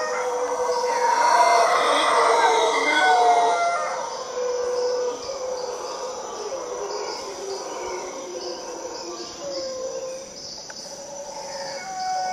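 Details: Howler monkeys in Costa Rica open with a loud, harsh roaring burst lasting a few seconds, then fall quiet while birds whistle and insects buzz steadily in the background.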